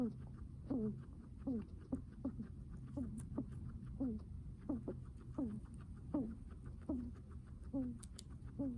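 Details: A guinea pig breathes heavily, each breath carrying a brief falling squeak, repeated steadily a bit more than once per second across the stretch, over a constant low background hum.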